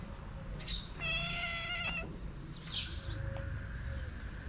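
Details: Hungry cats, six of them gathered at feeding time at a small shelter for abandoned kittens in Morocco; one clear drawn-out harmonic meow lasting about a second, then a fainter cry, over steady low hum and faint chirps.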